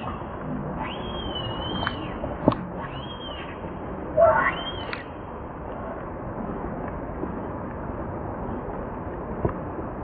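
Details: Newborn baby monkey named Leo crying to beg its mother for milk, very hungry. Three high, thin, whistled cries, each arching up then down and lasting about a second, spaced across the first five seconds over a steady hiss of background noise.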